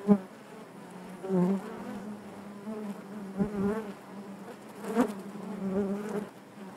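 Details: Inside a beehive, honey bees produce a dense, even drone with wavering overtones; several short loud buzzes from bees flying close rise above the steady hum.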